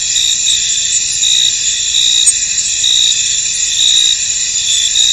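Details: Chorus of crickets in a foggy field, steady high-pitched trilling with louder pulses roughly every second, plus a single faint click midway, otherwise uninterrupted.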